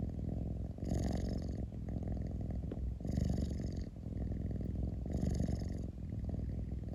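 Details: Low, steady rumbling purr of a pet cat inside a room, pulsing with three stronger breathy surges roughly two seconds apart over a constant deep vibration.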